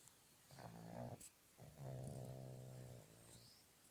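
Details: Pug snoring at an animal boarding hotel in Petrozavodsk: two low, rasping snore breaths with a buzzy, harmonic rattle, the second longer and steadier, separated by a short quiet gap.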